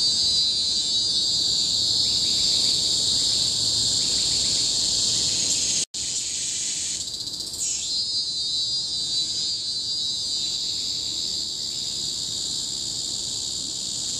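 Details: Tropical forest cicadas on Bukit Timah Hill, Singapore, recorded 2017, keep up a loud high monotonous shrilling, broken by a momentary cut near six seconds and a fast rising outburst around seven seconds.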